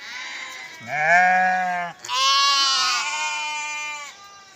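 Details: Sheep or lamb giving two long bleats back to back, the first lower and steady, the second brighter and wavering, each lasting around a second or more.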